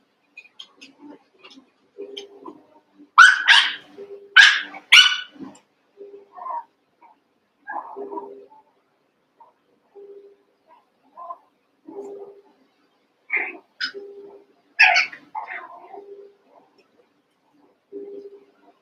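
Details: Eight Cavalier King Charles Spaniel puppies from Daisy's and Robin's litters, merged and playing; bursts of shrill, high yaps in quick pairs amid steady low whimpers and chatter, a second yapping flurry later.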